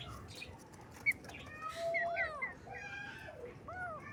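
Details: Cute baby kittens on their first morning, giving several short, high meows that rise and then fall. One meow comes near the middle, others follow toward the end, with brief bird chirps in between and a low background hum.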